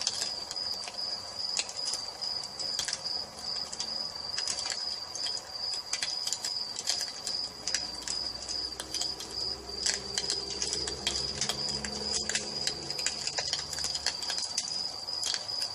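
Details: Evening cricket chorus next to a fireplace, a constant shrill ringing tone holding steady for the whole stretch while wood crackles and snaps irregularly, with a faint low hum in the background.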